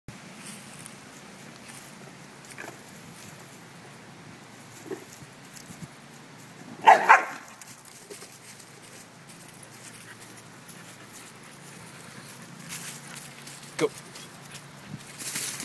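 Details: Dani, a pet dog playing roughly with another dog, Bentley, lets out a single short, harsh, noisy vocal burst midway through an otherwise quiet stretch, with faint rustling and a low hum in the background.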